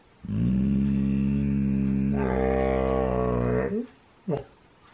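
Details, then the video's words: Domi, a husky whose growling starts the group's howling sessions, gives a long, steady, droning growl-like vocalization. Its pitch steps up partway through, then ends in short sliding yelps, indoors. "How Domi gets the huskies to howl"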